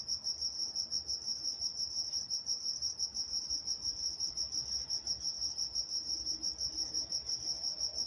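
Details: Walnut, California crickets at night give an unbroken, high, rapidly pulsing chirp, evenly rhythmic and dominant over a quiet low background.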